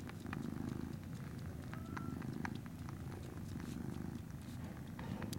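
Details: Norwegian Forest Cat kitten at Fantarja Cattery, recorded 19 January 2017, purring steadily in a low continuous rumble with pulsing rhythm, faint clicks and small handling noises over it.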